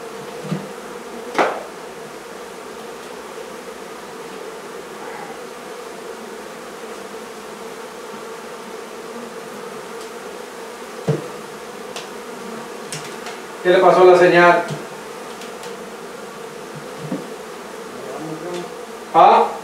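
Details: Honey bees droning in a constant, level hum as their hive is removed from a barn in La Feria, Texas; scattered clicks and thumps, and a short stretch of human voice near the end.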